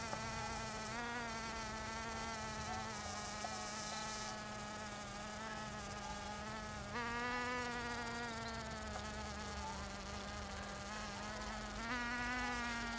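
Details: Bee buzzing recorded in Finistère, Brittany, France: a sustained low hum with overtones, pitch stepping up abruptly twice as the insect moves, otherwise steady for the whole stretch.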